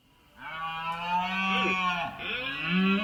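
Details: A red deer stag bellows during the September rut in Spain's mountains, a long, hoarse roar lasting nearly three seconds, harmonically rich and steady, with a slight dip and rise near the end.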